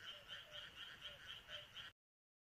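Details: Frogs croaking in rice paddies on a midsummer countryside night, a full chorus of quick rasping pulses for about two seconds before the sound cuts off abruptly.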